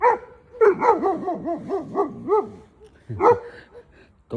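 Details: German Shepherd barking: a fast run of about eight loud, harmonic barks over two seconds, then a short pause and two more barks, with faint voices in the background.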